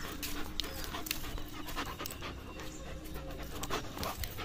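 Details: German Shepherd dog playing with a rope, breathing in steady breathy pants with faint low growling tones underneath, broken by sharp clicks and knocks from the play throughout.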